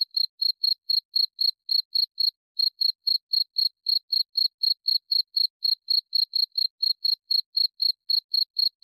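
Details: Cricket producing a steady train of shrill chirps at about four per second, pausing briefly early on, then continuing; no other sounds.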